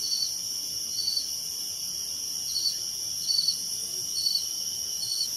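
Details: At night by an old farmhouse window light, a cricket chirps in brief, high-pitched trilled bursts roughly every second, over a continuous shrill summer drone of other night insects.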